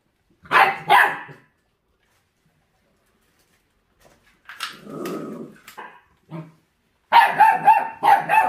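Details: Forty-day-old puppy, described as a feral-dog pup fixated on raw food and showing hunting instinct, gives two sharp barks, then a rough noisy burst and a quick run of higher yelping barks.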